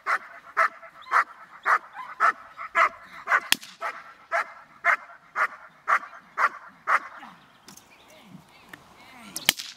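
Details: Dog barking during a training session: sharp, evenly spaced barks, about two per second, fourteen in a row over seven seconds, then quieter rustling with a few faint yips and clicks.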